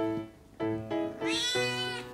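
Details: A rescued kitten, found in a waterway, gives hoarse, raspy meows over soft music, its voice worn rough from days of crying to get out of its room.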